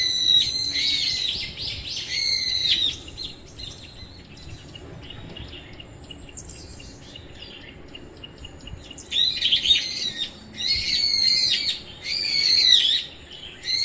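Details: Nureongi, a timid stray mother cat, gives high, drawn-out meows: a cluster of arching, slightly wavering cries early on, a quiet stretch, then another run of rising-and-falling meows near the end.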